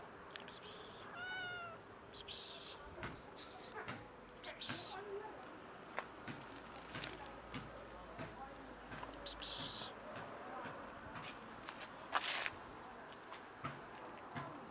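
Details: Meowing from a friendly cat or a tamed kitten: a clear drawn-out meow with stacked harmonics early on, falling in pitch, then scattered clicks and rustles with human speech in between.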